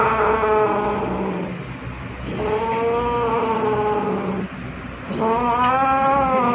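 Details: Pet cat Zurro, a two-year-old male said to be angry by nature but also loving, utters three sustained moaning yowls with a wavering pitch, separated by short pauses.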